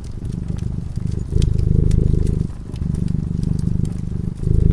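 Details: Sleeping cat by a cozy crackling fireside purring steadily: low vibrating rumble swelling and easing with each breath, roughly every one to one and a half seconds, dotted with crisp crackles from the flames.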